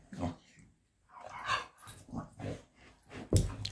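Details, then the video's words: Pet dogs Ruby and Millie, an elderly golden retriever and kelpie, play-fighting indoors to nag for their walk; several short, low, grunting growls roughly every half second, ending in a sharp louder burst. "old golden retriever and kelpie dog nagging for their walk"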